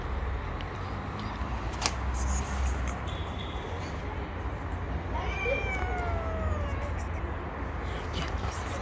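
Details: Stray mother cat on the street with three of her four kittens missing, giving one drawn-out meow that slides downward in pitch midway, over a constant low rumble with people talking nearby.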